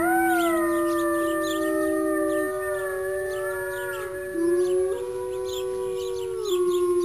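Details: Several wolves howl together, their long voices sliding up and down and crossing one another in a wavering chorus. Some notes dip sharply before rising again. Fast chirping ticks continue behind them.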